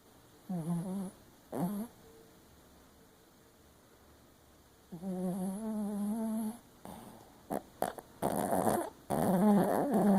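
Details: Dreaming Papillon Chihuahua snoring with one eye open: two short whiny snores, then a longer steady nasal drone, followed by rustling and stirring mixed with louder snorting sounds toward the end.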